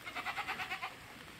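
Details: Goat (Capra hircus) bleats in a quick, wavering run of nasal pulses, each about a tenth of a second long, at an apple orchard where branches are gathered and cut for goats.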